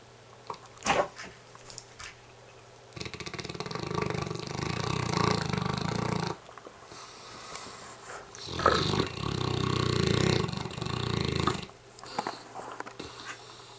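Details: Mastiff worn out and snoring up a storm in a small room: two long, harsh, rumbling snores of about three seconds each, with quieter breaths and small clicks between.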